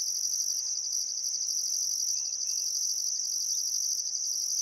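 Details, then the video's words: Summer sunset chorus of crickets by the Barcoo River in Welford National Park, Outback Queensland: continuous shrill buzzing trill overlaid by a higher band pulsing on and off about once a second, with a faint bird note. "Australian Sunset Chirping Crickets"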